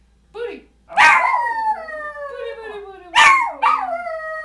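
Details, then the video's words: Two pet dogs, a Schipperke and a hound, howl in a sung booty boo duet with their owner. A short yip leads into a long, sinking howl, followed by two sharp yelps that trail off downward. "Cotton Schipperkes & Hound: Booty boo song"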